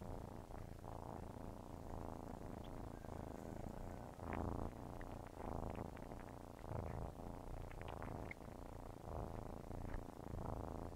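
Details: Nursing kittens purring close up: dense low vibrating rumble rising and falling in regular breath cycles roughly every second, with small clicks and smacking suckling sounds throughout.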